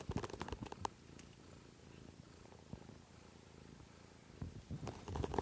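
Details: Kittens on a stream from March 13, 2017, with a continuous low purr in the middle stretch, framed by bursts of rustling and handling noise at the start and end.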